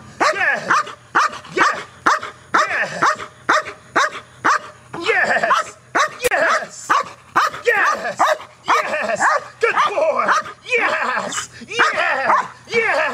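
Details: Dog Neros barking aggressively at a box during KNPV-style training; harsh barks come roughly once a second, overlapped by rap music with lyrics and some talking.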